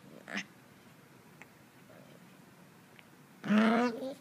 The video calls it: Morkie puppy growls funny noise